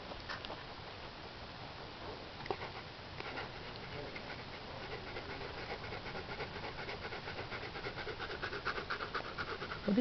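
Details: Siberian Husky x wolf hybrid panting while it watches a dung beetle build a home: soft, breathy, rapid pants that run steadily through the whole stretch.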